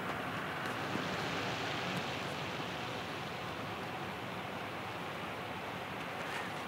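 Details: A continuous, even rush of road traffic or wind fills the whole recording. No animal calls stand out above the noise.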